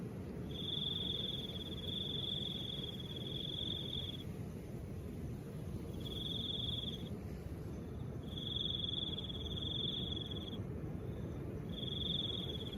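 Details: Crickets calling in soft wind. A thin, high trilling comes in uneven bursts of one to four seconds, separated by short silences, above a continuous, breathy wind roar.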